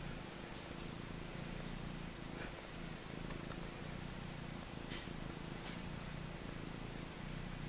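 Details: Nursing Maine Coon mix kittens, four days old, competing for milk, heard as a continuous low purr with a pulsing rhythm, plus a few faint clicks and rustles.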